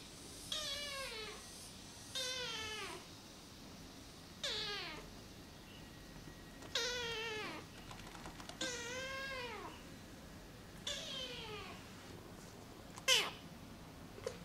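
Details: Rescued feral kitten named Namba, one-eyed, calling indoors: a series of about seven high, harmonic meows, each sliding downward, spaced roughly every two seconds, with a faint background hum.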